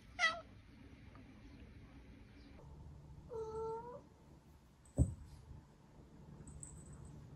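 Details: Pet cat indoors giving a short reply when called by name: a brief high chirp, then a drawn-out, clear, slightly bending meow, followed by a soft thump in a quiet room.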